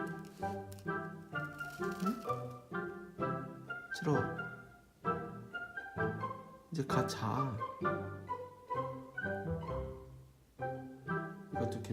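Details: Music with bowed strings, plucked notes and some speech, with no animal sound heard.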